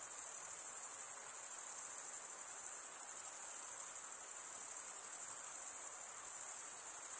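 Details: Continuous shrill trilling from stridulating male crickets, very high and evenly pulsed, holding nearly constant volume throughout with only a faint low hiss beneath.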